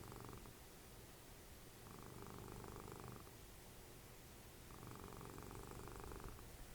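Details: Snoring domestic cat Dessie, mom of Fritjof, cuddled up while watching TV; rhythmic low rumbling snores arrive in breaths of about one and a half seconds with short quiet gaps between, steady room hum behind.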